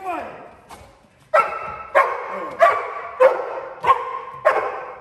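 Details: Protection-trained Cane Corso in a home invasion drill, containing an intruder by barking: a short voice at the start, then six heavy, rasping barks spaced evenly about every 0.6 seconds.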